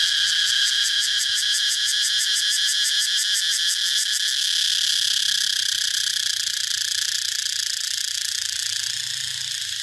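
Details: A cicada's shrill, pulsing buzz: fast rhythmic throbbing for the first four seconds, then an unbroken high-pitched drone that carries on to the end.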